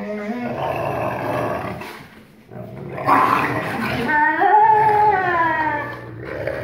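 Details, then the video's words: During rough play on 1 August 2018, a Black Phased wolf father (44% wolf) growls at his 56% wolf son to show dominance; low rasping growls break into a rising, whining snarl with a brief pause between bouts. "Growling Snapping Father (#AstroboyRen) 44% Wolf & his Son (#KandorSweetpea) 56% Wolf"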